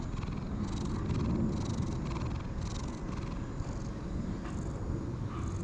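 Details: Sulky-faced light brown and white stray cat enjoying being stroked and rolling about; deep continuous purring with soft rhythmic rustles of fur being rubbed, roughly three per second, over a low hum.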